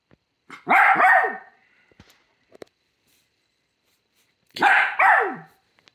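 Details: Pembroke Welsh Corgi barking while hiding: two loud bursts of sharp, rough barks, each a quick double bark with falling pitch, separated by about three seconds of near silence broken only by faint clicks and taps.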